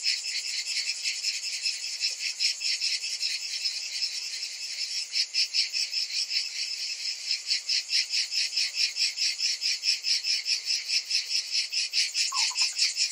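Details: Cicadas calling in summer make a loud, continuous rasping drone whose pulsing grows sharper and more regular in the second half, with a short, lower-pitched chirp near the end.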